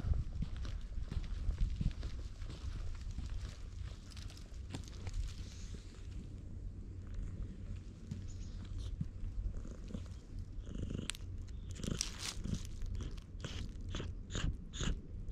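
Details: Black stray cat on Tashirojima, Japan, found in the middle of a road and stroked, recorded on a GoPro HERO8; steady low rumbling purr throughout, with rubbing and handling noises growing in the final seconds.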